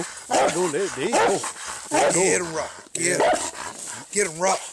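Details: Treeing Walker Coonhound fighting a raccoon, giving wavering, wailing bays and whine-like cries in quick bursts, with people's voices calling out around it.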